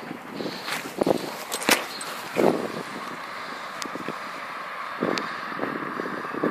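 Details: Outdoor background noise with a passing car, scattered footsteps and knocks, and no animal voice heard.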